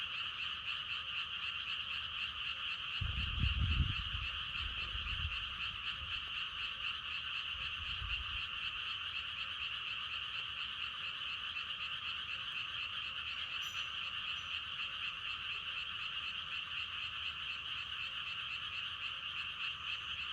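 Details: Croaking frogs in a thick continuous chorus of rapid pulses, with a short gust of wind rumbling early on and a faint knock later.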